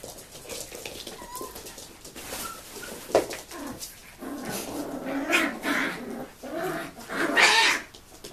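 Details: A 2015 litter of seven-week-old puppies: a brief high whistle-like whine early on, then a stretch of rough, throaty little growls and squeals that build in loudness and overlap near the end.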